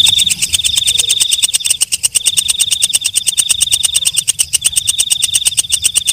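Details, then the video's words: Katydid singing at night: loud, fast ticking pulses layered over a bright, sustained high whine that drops out for short gaps, with a steady buzzing rhythm. "Suara Walang Kecek/ Belalang Malam"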